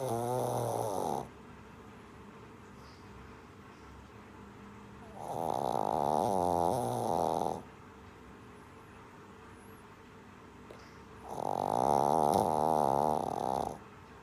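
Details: Shih Tzu puppy sleeping and snoring steadily: three rough, rattling snores of around two seconds each, spaced about five seconds apart by quiet gaps, the pitch of the rasp wobbling within each breath.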